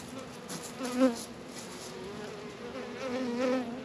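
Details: Honey bees flying close at a hive in a northern Kentucky apiary on a warm February afternoon of 72 degrees; wavering buzzy tones swell as individual bees pass, twice louder, over a constant colony hum.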